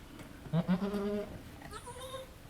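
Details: Halley Berry, a goat at Needham Goat Farm, giving birth to triplets as her second kid is born: one low, wavering, tremulous bleat lasting under a second, followed by a fainter, higher sound.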